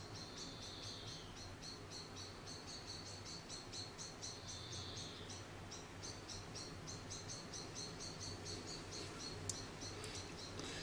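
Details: Orphaned week-old grey squirrel called Charlie, rescued from a garden after falling out of his nest, keeps up rapid high chirping squeaks, about four a second, with occasional longer thin whines and a low steady background hum.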